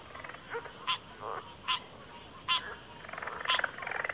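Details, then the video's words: Frog chorus in backwater: short pulsed croaks and rattling trills from several frogs, spaced irregularly, building into a denser rattle near the end, over a constant high-pitched hum. "Backwater Chorus, & Frog Chorus"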